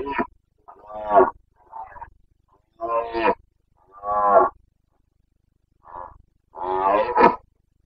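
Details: Carpathian stag bellowing during the boncănit rut in Bucovina, 29 September 2022; loud, strongly harmonic roars about a second long, repeated roughly every second or so with brief gaps, the last one loudest and rasping.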